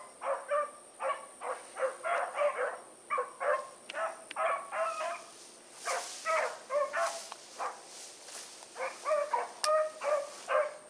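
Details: Blackreek dog pack, Choco, Dino, Johnny Ringo and Mingo, running on the evening of 8-16-2014 after release; dense, continuous barking from multiple dogs, bursts tumbling over each other several per second, a faint high electronic tone underneath.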